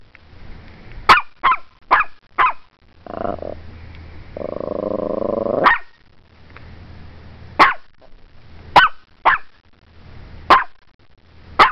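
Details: A Morkie barking excitedly at the camera: about ten sharp, high yapping barks in irregular bursts, with two longer rough growling stretches in the middle, recorded indoors.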